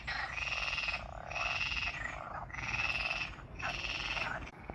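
A frog gives buzzy, rasping croaks, each lasting close to a second and repeated about once a second.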